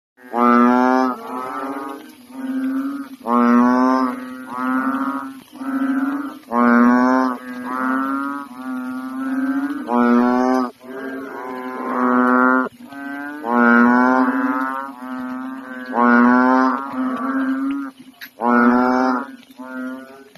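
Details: A couple of unusually big frogs, fully inflated and floating in a pond at night in the Philippines, one swimming, croaking loudly: deep, nasal, moaning croaks repeated roughly every second, overlapping in a steady rhythmic chorus.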